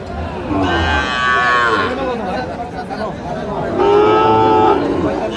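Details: Sahiwal bull calves at a cattle market in Chattogram on 7 March 2025. Two drawn-out tonal moos about a second long, the second higher-pitched, over steady crowd chatter and men's voices.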